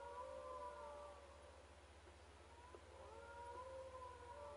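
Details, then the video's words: At a camp, several wild dogs give overlapping wavering howls that dip, pause briefly, then return as a layered chorus of rising and falling tones with a steady low hum underneath. "Wild dogs howling at camp"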